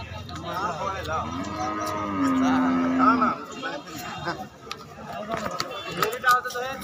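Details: Cattle being unloaded from a truck at a dairy farm, jumping about; one drawn-out low moo of about a second, with people talking over it and background chatter.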